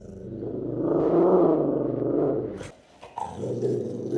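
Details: A Staffordshire Bull Terrier puppy, a blue Staffy, growls happily while greeting its owner with a toy on arrival home; a low, rumbling, sustained growl builds over two seconds, then breaks off, followed by laughter and a softer grumble.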